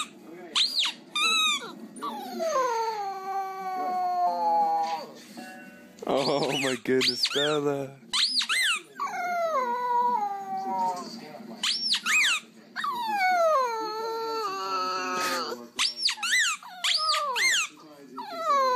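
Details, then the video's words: Puppies howl in high, sliding wails, many bending downward in pitch and broken by brief pauses, with music playing underneath throughout. "CUTE PUPPIES HOWLING"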